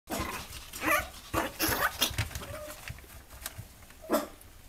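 A small Chihuahua gives sharp, high-pitched yapping barks in short irregular bursts.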